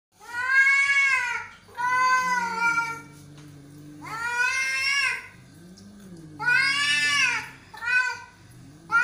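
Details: Angry, aggressive cats fighting: long harmonic yowls rising and falling, alternating with low growls, several drawn-out wails over nine seconds in a small room.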